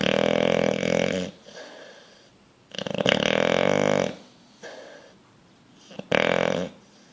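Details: Sleeping bulldog dreaming and twitching, giving loud harsh snores about a second long, separated by softer wheezy breaths and short pauses, with one brief snort near the end.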